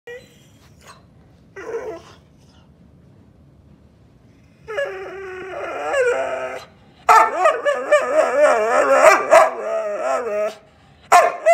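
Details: Whippet waking up hungry and grumpy, giving drawn-out, wavering, moaning vocal grumbles in several bursts, short at first, then a long continuous stretch of rising and falling whiny tones, separated by quiet pauses.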